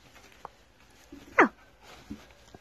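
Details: Puppy, one of five, lets out a single brief, high yelp that sweeps sharply up and then falls, with faint knocks and soft rustling around it in a quiet indoor setting.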